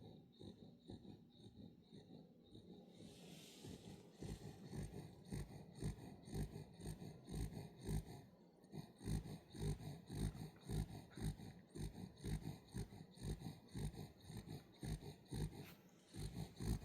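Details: Sleeping pet Welsh Corgi puppy called Wangja snores indoors, deep rough low breaths pulsing roughly twice per second, steady and unbroken, with a brief soft hiss near the start.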